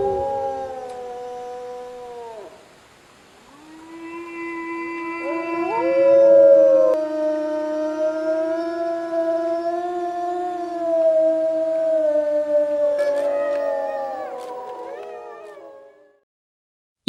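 Grey wolves howl in long, smooth, wavering tones, several voices overlapping at different pitches.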